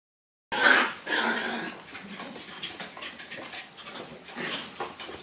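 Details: Black Shiba Inu puppy born on 25 August, indoors on the morning it leaves the kennel, giving a high, thin whimpering yelp that trails into softer, broken whines in a small room.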